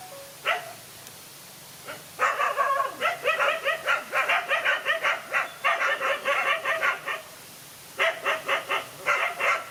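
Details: Dog fight: a lone dog takes on two male dogs. Silence at first, one early bark, then from about two seconds a rapid, harsh volley of barks. A short pause comes near eight seconds before fresh bursts.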